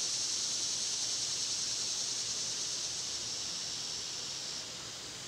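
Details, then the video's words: Cicadas singing in summer make a constant sizzling high buzz that stays level for several seconds, then drops noticeably quieter near the end. "Birds & Squirrels w/ Cicada sounds"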